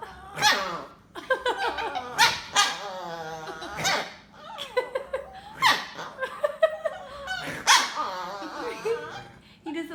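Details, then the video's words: A Chihuahua reacting when snorted at, making a series of odd whining, grumbling yowls with wavering pitch, several separate bursts over ten seconds, mixed with a person snorting and talking. "Funny Chihuahua Noises"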